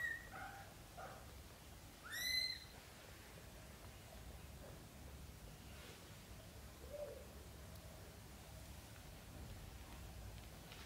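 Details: A newborn-to-month-old British Shorthair kitten from a litter of four gives one brief, piercing squeak that rises sharply. Near silence with low room hiss surrounds it, plus a faint low murmur later on.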